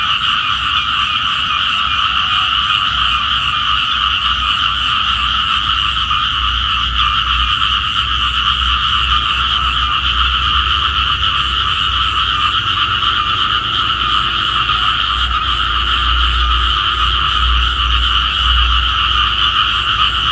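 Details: Small frogs calling on a morning, said to be calling for the rain; a dense, unbroken chorus of fast, buzzy pulsing notes at two steady pitches holds throughout, over an intermittent low rumble.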